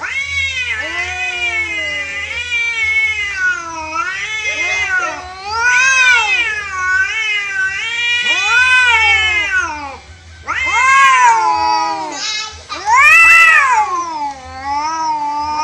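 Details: Free-roaming cats fighting naturally, an orange cat losing: loud, drawn-out wavering yowls that rise and fall in pitch, overlapping voices sustained almost without pause, swelling into sharper, higher screams near the end.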